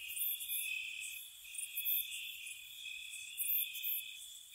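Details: Night-time crickets at a cottage in spring: a continuous, even trill with a few piercing, very high chirp bursts near the start and end.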